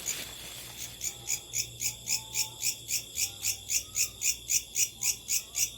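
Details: Night-time locust chorus of sharp, high, rasping pulses at a regular beat of almost four per second over a faint continuous whine, with soft low hum in the background.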